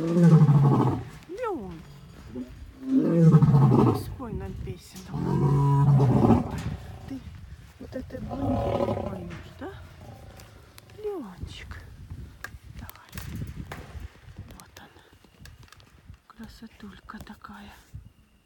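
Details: In the evening at Taigan safari park, as dusk falls on the savanna enclosure, the lion Leon gives a series of loud, deep, heavy roars a few seconds apart, part of the lions' evening roaring, with people talking nearby.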